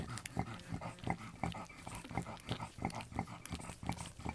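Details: Newborn French Bulldog puppies, the litter of Anais and Hobbit born October 29, 2011, making rapid short grunting squeaks, roughly three per second, unevenly spaced and soft.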